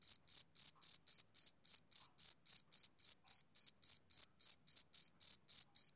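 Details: ['Repeated piercing chirps of a male cricket, some 22 quick pulses over six seconds at an even tempo, each carrying a thin upper overtone, in an otherwise quiet background.']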